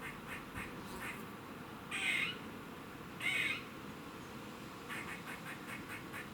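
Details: In Cambridge, UK, on 27 September 2019 at 3:16 pm, a squirrel sounds a warning: two harsh, wheezy calls just over a second apart, framed by faint rapid ticking chucks.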